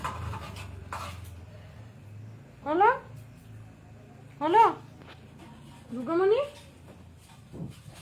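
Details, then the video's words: Indian pariah dog (desi dog) puppy recorded on 11 July 2025 at 8:05 pm, giving three tonal whining yelps that rise then fall, spaced about two seconds apart, over a low steady hum with faint knocks early on. "Indian puppy|Desi Dog|Puppy|Puppies"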